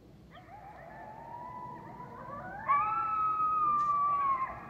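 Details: Coyotes in Eastern Washington howl in long, sliding tones, one voice rising clearly above a softer chorus.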